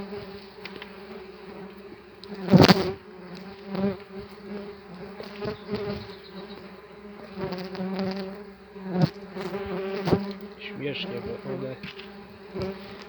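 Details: Loud, rich buzzing of tree bumblebees swarming from their opened nest box in an apiary, wavering in pitch as individuals pass close; several hard knocks as aggressive bees bump into the hand, plus rustling.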